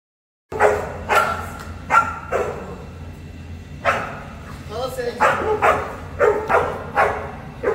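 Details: Boerboel (South African Mastiff) kept in Egypt, one of a pair, giving deep loud single barks at irregular intervals, with a cluster of quicker barks toward the end and a steady low hum behind.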